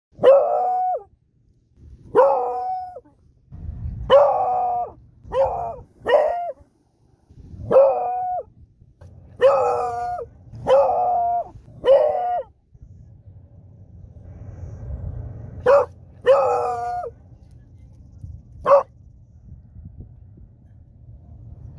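A Beagle howls in a run of short, mournful, baying notes, each dropping at the end.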